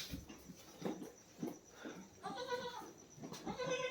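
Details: Farm goats, including kids two days and 24 days old, after a fresh birth. Two short, quavering bleats sound in the second half, over low chatter and handling noises.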